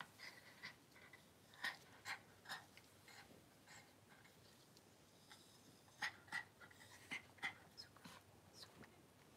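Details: Cavalier King Charles Spaniel Daisy, in labour with six puppies over two hours indoors, pants quietly: soft breathy puffs in irregular bursts, clustered near the start and again late, over low room hiss.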